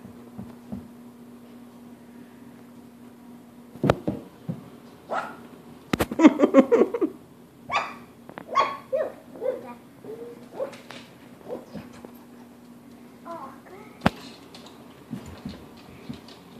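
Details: Four wire fox terrier puppies, three and a half weeks old, playing with their parents; a rapid run of squeaky yaps and grumbly play noises, then sparser yips, with a few sharp knocks and a constant low hum.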